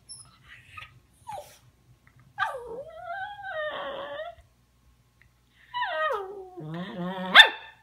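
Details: A puppy talks back to its owner after being told not to bother its senior older brother. It gives drawn-out, wavering yowls, first sliding down then levelling, with a falling, rough whine near the end. Faint clicks come between the calls.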